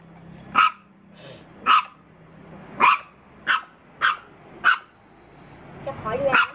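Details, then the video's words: Dog barking at a stranger, seven crisp barks spaced roughly one second apart, with a brief human voice just before the final bark. "How Dog Reacts When Seeing Stranger 2 - Running, Barking?"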